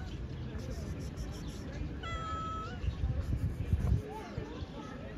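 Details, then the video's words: Stray cat living outdoors gives a single steady, flat-pitched meow lasting under a second, set against a constant low rumble and murmuring human voices. "Cat meows."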